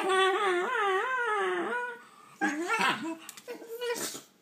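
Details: Shiba Inu puppies playing with toys and squabbling over one toy indoors: a long wavering whine rising and falling in pitch for about two seconds, then short yelping whimpers and a grumbling bark.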